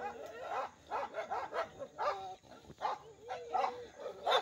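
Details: Village dogs, two rival groups fighting; harsh barks and strained, whining yelps come in uneven bursts roughly every half second, overlapping and rising and falling in pitch.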